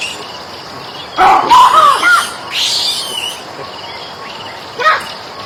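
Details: Monkey calling in a run of harsh, wavering cries lasting about a second, then a noisy rasping burst and one short cry near the end, with outdoor background hiss.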